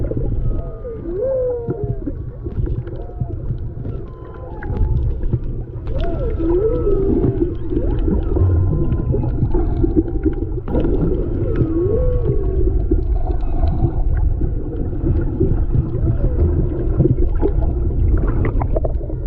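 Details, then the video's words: Humpback whales singing off Maui, Hawaii, in February 2020, picked up underwater by a GoPro during snorkeling: moaning, looping upsweeps and whooping tones rise and fall over constant low rumbling water noise. "Whales Singing in Maui, HI"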